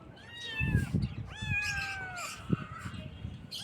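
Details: Morning kitten meows: a brief high cry, then a long clear meow that starts sharply, holds and slowly falls before fading, with soft knocks and a low rumble behind.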